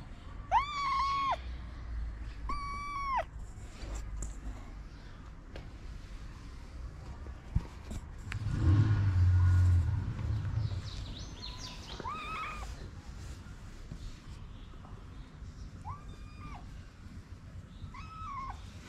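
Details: Stray kitten living on a Moroccan street, climbing onto a lap during feeding, meows repeatedly: a pair of drawn-out cries early on, then scattered shorter meows later, with a loud rumbling noise in the middle.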